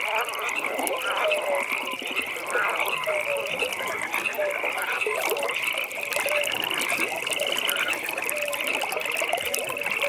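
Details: Frog chorus at a pond on a natural nighttime evening: dense pulsed trills run continuously high up, with short clipped notes lower down repeating at irregular intervals from several callers at once.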